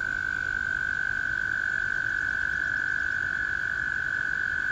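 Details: Clean, continuous trill from American toads in a spring chorus, one steady high note held without a break against faint background hiss.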